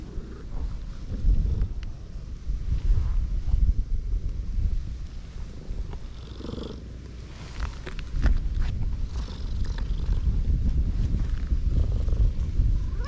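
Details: Affectionate cats crowding around a walker on a cat island; a close, low rumbling purr runs steadily through the clip, pulsing unevenly, with soft rustling and a few brief clicks on top.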